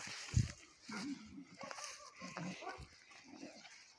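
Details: Miniature Bull Terriers growl and snarl in low, rough bursts during a sudden fight over an old bone: while the dogs played, the male launched at the female. A presa canario watches nearby.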